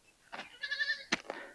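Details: A lone young goat kid in a goat pen beside a forest-edge village bleats in a wavering, nasal cry, frightened by a stranger, on a hot sunny day.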